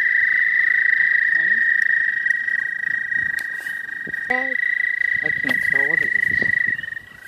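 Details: Spring chorus of American toads, a continuous high droning trill running without a break, while human voices talk over it in short bursts and the drone fades out at the very end.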